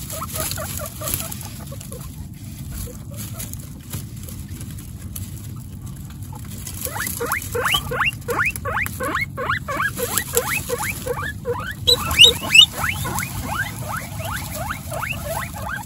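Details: Guinea pig Coconut with her babies Pistachio, Pumpkin and Snow, pets in a home with 29 guinea pigs; after a quiet start, a rapid run of short rising squeaks repeats about three times a second over a low rumbling background.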